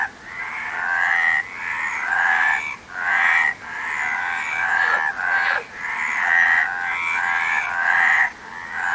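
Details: Loud rasping frog croaks come in repeated pulsed bursts of roughly one to two seconds, separated by short sharp pauses, forming a continuous harsh chorus.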